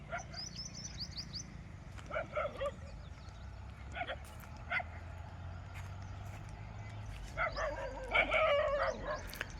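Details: Street dogs still barking, said to bark at other dogs when they gather in a group; bursts of barking at intervals, a clustered volley near the end, with high chirping birds early and a low background hum.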